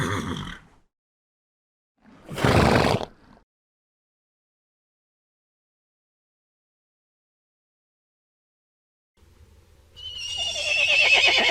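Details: Horse sounds: a short breathy blow at the start, a harsh noisy snort a couple of seconds later, long silence, then a rising, quavering whinny closing the recording.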